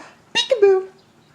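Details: Playing peek-a-boo sets off an aged husky named Tundra, nearly 14, who gives one abrupt burst and then a smooth descending howl-whine that fades out over about half a second, indoors with little background noise.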